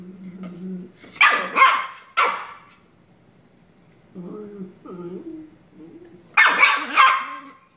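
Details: Shiba Inu puppy in a tussle with its sister, sharp high barks alternating with lower whining growls, ending in a loud double bark.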